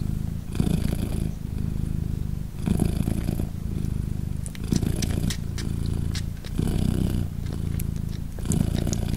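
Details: Purring British Shorthair queen Polina with her three tiny 3-day-old kittens: deep rhythmic rumble rising and falling roughly every two seconds, with soft clicks and ticks of movement over it.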